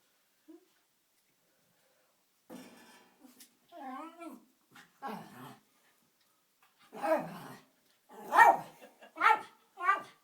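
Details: Trying to get its ball out of a fireplace, a Jack Russell Terrier gives thin, wavering whines that bend up and down in pitch, then loud, sharp yaps in an uneven run, growing more insistent.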